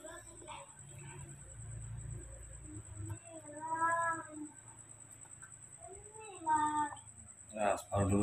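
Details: Newborn baby monkey, hand-reared by a person, screaming and calling for milk at feeding time: two drawn-out, harmonic, wavering cries, with softer squeaks between, amid steady Indonesian talk and a high electrical whine.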